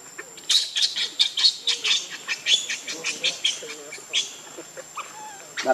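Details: Baby monkey Leo, hungry, crying loudly to beg its mother for milk: a run of shrill, piercing screeches in rapid bursts, several each second, mixed with thinner squeaky wavering notes, steady outdoor background hum.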